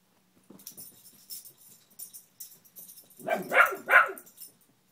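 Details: Pet dog barking at a fallen Spider-Man lamp indoors, likely a beagle; after scattered light taps and rustles, two loud harmonic barks close together near the end.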